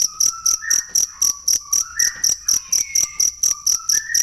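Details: Cricket (jangkrik) used to tutor songbirds, pulsing in sharp high bursts about four per second, while lower clear whistled notes, some rising, weave underneath throughout.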